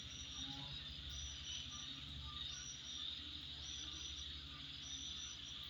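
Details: Midnight insect chorus: steady, high whirring drone with scattered thin chirps above it, plus a low continuous rumble underneath.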